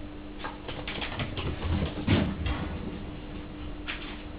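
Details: A Toy Poodle puppy runs around indoors giving low, rumbling growls amid scrabbling paws.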